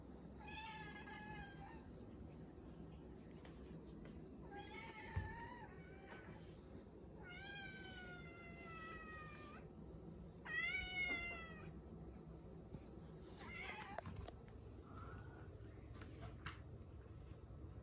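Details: Ragamuffin cat near a baby indoors, meowing repeatedly: four or five long wavering meows of one to two seconds, some rising in pitch, with soft room noise and a brief knock between calls.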